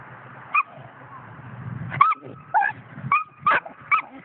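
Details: A five-month-old coonhound puppy gives short high whines and yips, about six brief squeaky cries spaced unevenly over a few seconds, some with a rising then falling bend, over a low background hum.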